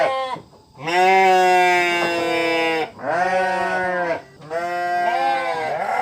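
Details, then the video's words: Sheep bleating in three long, wavering, nasal cries, each lasting one to two seconds and separated by short pauses, loud and rich in overtones with a slight tremble. "SUARA KAMBING DOMBA EMBE | The Sound Of The Sheep Embe"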